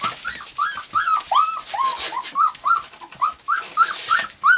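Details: A litter of 4-week-old white (English cream) golden retriever puppies whimpering, with short, high, arched squeals overlapping one another.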